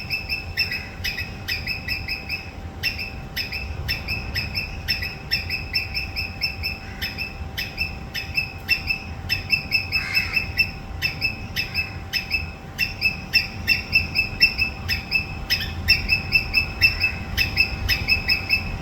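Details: Sharp squirrel screeches come as a long run of short, high, clipped notes, often doubled. Brief pauses break the bursts, and a constant hum and low background rumble persist throughout.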